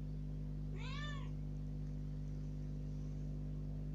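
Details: Kitten rescued about three days earlier, first time out of the cage, gives a single loud arched meow demanding to go out, with a steady low hum filling the room.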